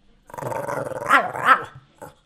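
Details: Hungry pet dog 'talking' to ask for food: a drawn-out, growly, voice-like moan rising into two loud, bending yowls, then a short soft grunt after a pause.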